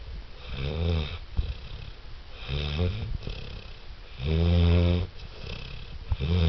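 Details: Wilson, a six-month-old Saint Bernard, snoring: deep, low, rumbling snores that come irregularly about every one to one and a half seconds. The longest and loudest swells near the end, with breathy wheezing between the snores.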